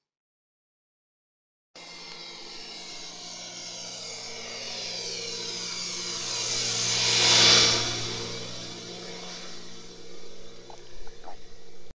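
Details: A continuous mechanical roar fills the recording, rising to a loud peak around seven seconds as a vehicle or aircraft passes. No animal sound stands out above the engine noise.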